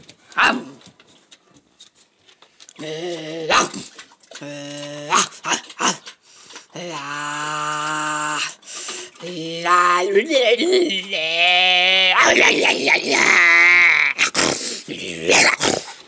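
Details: Dogo Argentino playing indoors, giving a long run of drawn-out, moaning whines and groans with rising, wavering yodel-like notes, some short huffs at first, ending in laughter from people nearby.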